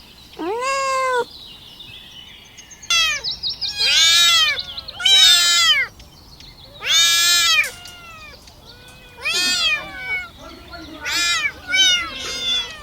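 Kittens mewing in high, arched cries, several voices overlapping as they call for their mother's milk.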